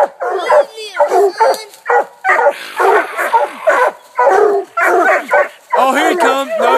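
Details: Four coonhounds (two Treeing Walkers aged 8 months and 5 years, a 6-year-old black and tan, an 18-month-old bluetick) bark at a treed raccoon at a new hunting spot, giving rapid, irregular, ringing chop barks and drawn-out bawls about once a second.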